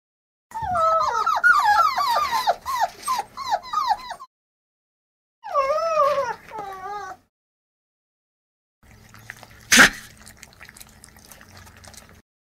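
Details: Short-coated white and black dog, happy and excited, squealing loudly: high wavering whines in a rapid run of about four seconds, a second shorter burst, then quieter scuffling with one sharp click.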